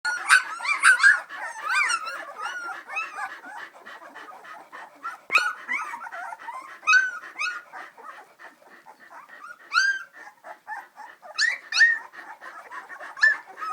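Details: Three-week-old Samoyed puppies walking around at a breeder's home near St Louis, Missouri; many high squeaky whimpers and yips overlap, rising and falling whines tumbling over each other, some sharper upswept squeals standing out.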